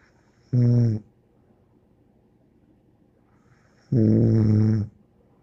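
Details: Bear, a dog, snoring indoors: two harmonic, nasal snores each lasting about half to one second, separated by roughly three seconds of quiet breathing, with a faint high whistle riding on each snore.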